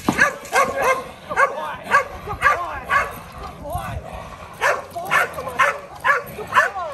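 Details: Kolohe, a challenging male Rottweiler on his first day of bite work in protection training, barks in short harmonic bursts repeated about twice a second, with a person's voice mixed in throughout.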